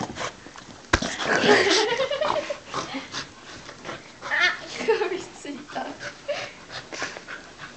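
A Welsh Corgi greets its owners with high, wavering whines and yelps, voices talking alongside.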